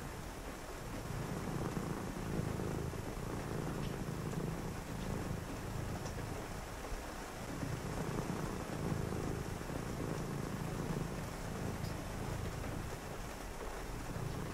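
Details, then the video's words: Domestic cat purring on a rainy night during a quiet reading session: a steady low rumbling drone that swells and fades in long cycles of a few seconds, over a constant hiss of rain and a faint distant thunder rumble. "a purring cat"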